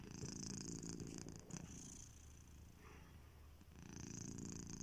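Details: Sleeping pet cat Kitiboy snores: a soft, low purring rumble on each breath, loud at first, dipping quieter midway, then rising again as the next inhalation begins.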